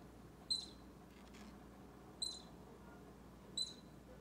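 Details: Three piercing high squeaks from a baby squirrel close to Bushy, an orange cat, spaced about 1.5 seconds apart, with a faint soft rustle between and a low background hum.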